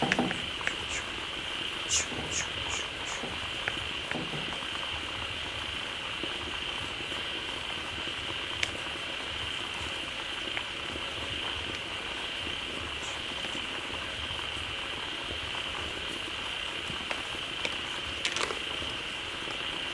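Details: Frogs massed in a pond after fresh water poured in call continuously in a steady high-pitched drone, while low croaks and several sharp ticks and brief high chirps break through.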